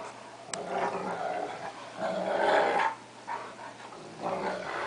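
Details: Two pet dogs, a cocker spaniel and a three-quarter wolf, one-quarter Akita, play-fighting; rough growls come in bursts of about a second, with short pauses, sounding mean though the play is friendly.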